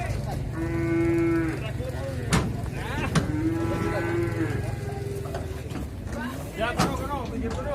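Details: Cattle, including one of nearly a ton, loaded onto a truck at a market in Indonesia; long steady lowing moos, two or three in sequence, amid clattering, voices and engine rumble.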